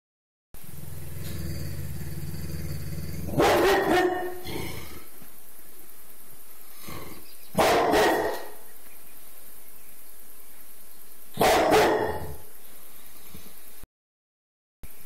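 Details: Pit bull terrier indoors in an ongoing feud with squirrels outside; three loud, harsh single barks spaced roughly four seconds apart over a steady background hum.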